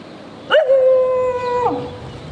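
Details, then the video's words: Dog in the street giving a single sustained, steady tonal howl lasting about a second, opening with a sharp onset and dropping off at the end, over low background noise. "Dog barking loudly in the street. Dog barking sounds"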